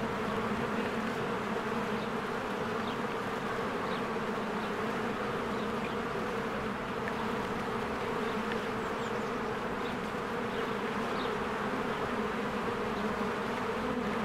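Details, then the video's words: Swarms of honeybees coming and going at a cozy hive in spring. The continuous layered buzz stays steady and low, while a few soft, brief bird notes flick in above the drone. "1 Hour of a Beehive ASMR"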